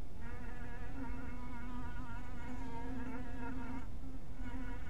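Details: Honey bees at a small hive box in twilight light, a continuous dense buzzing hum with a steady low drone and wavering overtones throughout.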